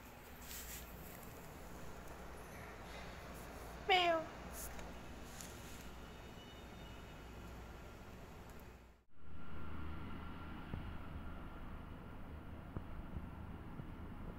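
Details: Hungry cats in need of food: one short, sharp meow near four seconds in, stands out from a steady low rumble and background hiss, followed by a sudden break and continued noise.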